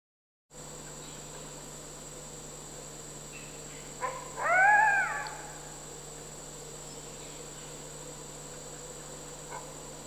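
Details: Captive red wolves, an adult male and his son of about five and a half months, bonding at a conservation center in South Salem, New York, September 2010; one brief, tonal, rich whine with a slight rise and fall midway, over steady electrical hum.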